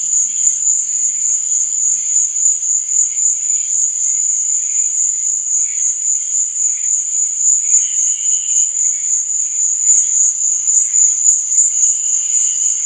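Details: Night-time cricket chorus for sleep and relaxation, an unbroken high, shrill trill pulsing several times a second, with scattered softer lower chirps from other insects beneath it.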